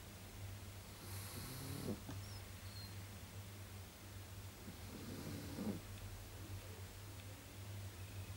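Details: A female pug, asleep at home, snores in slow, raspy breaths, each one a rough, snorting rush of air.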